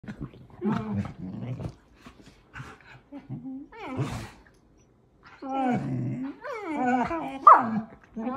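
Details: Several talkative German Shepherds vocalizing back and forth as if in conversation: drawn-out harmonic whines and howl-like moans that rise and fall, mixed with low growly grumbles, separated by short pauses.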